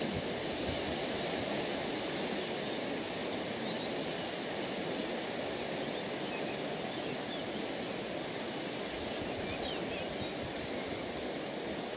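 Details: Steady broadband rush of surf or running water, with no animal calls standing out.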